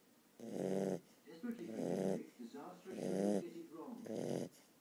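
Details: Puppy asleep, snoring in rhythmic breaths: four drawn-out, buzzy, tonal snores roughly a second apart, with quieter sniffs and small noises between them in a small indoor space.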